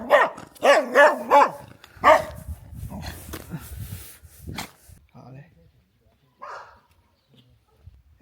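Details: Dog barking in a quiet, snow-covered Russian ethnic village on the China–Russia border river in Heilongjiang, winter 2024: four sharp, ringing barks within two seconds, then low shuffling, footsteps and faint murmurs fading into near silence.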